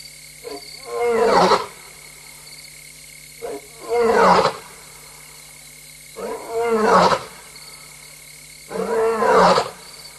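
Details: Adult lioness roaring while alone and restless at night, 3:15 AM on 26 August 2022, Tembe Elephant Park; four deep, grunting roar bouts about every two to three seconds, each preceded by a short soft intake, over steady electrical hum.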